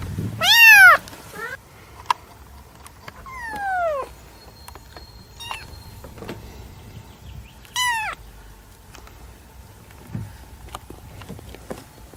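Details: Domestic cat with a loud meow at the start, a softer descending meow near four seconds and another sharp meow around eight seconds, separated by long quiet gaps with faint clicks and hum.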